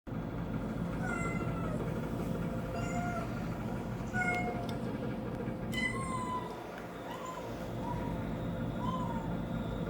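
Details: Domestic cat at home reacting to kitten sounds played on TV; thin, high mews falling in pitch, then lower drawn-out meows near the end, spaced about a second apart over a steady low hum.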